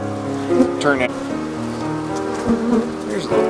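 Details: Honey bee swarm that moved into an empty hive, workers ejecting male drones into cold, wet weather before winter; dense droning hum with harmonic bands shifting in pitch, louder surges around the hive.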